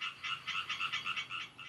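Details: Male European tree frogs giving mating calls at night in a garden by the Mulde near Wurzen while a female listens and chooses her partner; quick run of harsh, bright pulses, roughly eight within under two seconds.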